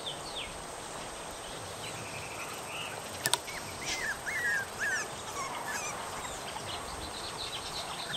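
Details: Several three-and-a-half-week-old puppies, taken from their familiar home into the yard and woken from deep sleep, wanting their mother to feed them: faint, high, squeaky whines rising and falling in scattered bursts over a steady hissing background.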